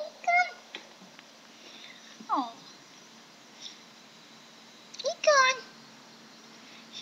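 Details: Maine Coon cat named Unicorn giving three short, tonal meows spaced a few seconds apart, each bending downward in pitch, the last one longest and loudest, with quiet background between calls.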